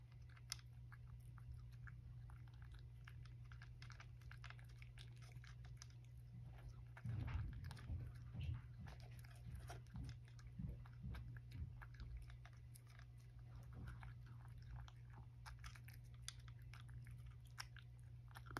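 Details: Sacchan, a rescued male cat, eating breakfast indoors: a long run of crisp, irregular crunching and biting clicks with a denser burst midway, over a steady low electrical hum.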